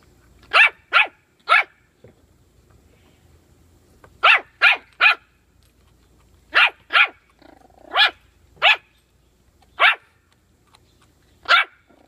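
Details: Puppy barking over bully sticks: twelve sharp, high yaps in quick bursts, first two triplets, then a looser run of six spaced about a second apart, with quiet pauses between.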